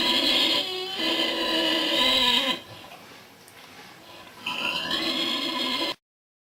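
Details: At a Buddhist nunnery near Hue in Vietnam, a pig snores: a long harsh, buzzy inhalation, a near-silent pause, then another raspy, tonal snore before the recording cuts off.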